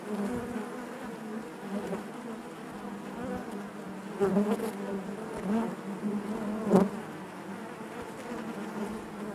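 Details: Steady collective drone of honey bees within the hive, a warm low hum with overtones, rising in loudness around the fourth and sixth seconds as nearby bees buzz past, plus faint sharp taps.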